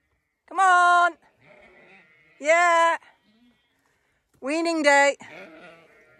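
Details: Zwartbles ewes being herded down a laneway on weaning day on a farm in County Kilkenny, Ireland: three loud, wavering harmonic bleats about two seconds apart, with quieter bleating from other sheep between them.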